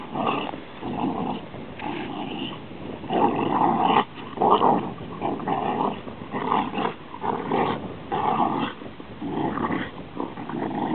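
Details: Deep, grumbling growls come from a pet Rhodesian Ridgeback. They arrive in a string of uneven bursts with short breaks, some louder and harsher than others, and the dog keeps going steadily for the whole stretch.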